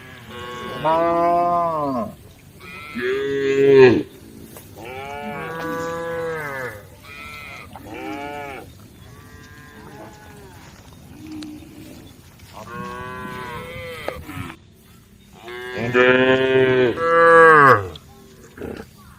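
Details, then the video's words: A group of tame female cows calling the herd, about seven separate moos, each arching up then falling, loudest near the start and again near the end, with quieter, distant lowing between. "the sound of cows calling the herd"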